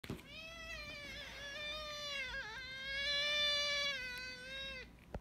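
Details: Domestic cat giving a long, quiet yodel-like meow, a sustained tonal wail lasting nearly five seconds, wavering in pitch with a brief break in the middle before resuming steadily and fading out; quiet room background.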